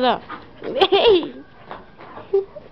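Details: Old English Sheepdog (bobtail), a 45-week-old female, angry and refusing to give her paw; short whiny yelps and rising-falling grumbles, overlapped by a person speaking Spanish to her.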